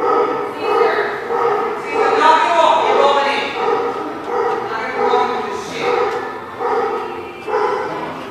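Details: Dog recorded 12/04/17, giving a series of harmonic, yelping barks in quick bursts about once a second, some drawn out into whiny calls, with human speech underneath.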